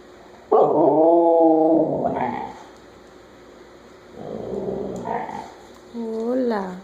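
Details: Chula, a pet Siberian Husky, 'burping and saying hola': a loud, drawn-out harmonic moan that wavers for over a second, then a quieter grumbling phrase and a short rising-falling yowl near the end, indoors.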